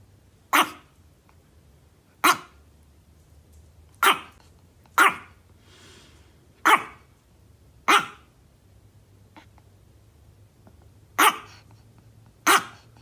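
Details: Chihuahua, a small dog, barking at a cat: sharp single barks spaced about one to two seconds apart, nine in all, over a quiet background with a low hum.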